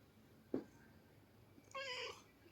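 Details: After a short knock, a house cat lets out one bright, harmonic meow of about a third of a second, slightly falling at the end, over low room hum.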